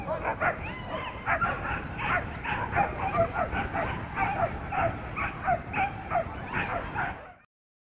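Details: Racing male whippets, class A, race 10 in Berlin-Brandenburg, yelping and barking almost continuously in sharp repeated bursts over steady low crowd and background noise, stopping abruptly near the end.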